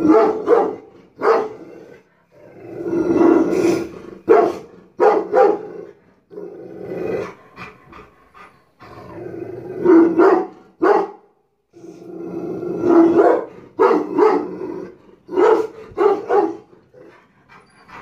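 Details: Guarding Rottweiler barking aggressively at the house, with repeated deep, harsh barks, some short and clipped and others longer and growly, coming in irregular clusters throughout.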